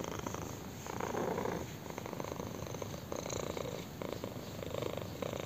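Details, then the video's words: Chin-scratched kitten purrs intensely, a close rough rumble broken into breath cycles of about one second, slightly louder bursts on each inhale, with no background noise. "KITTEN PURRS AND ENJOYS BEING SCRATCHED ON A CHIN"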